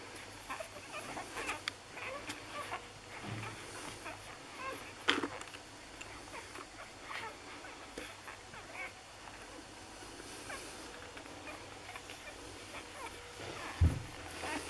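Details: Six-day-old Lagotto Romagnolo puppies from an A litter in Hamburg give faint, thin whimpers and squeaks scattered through the recording over a low background rumble, with a sharp knock near the middle and another near the end.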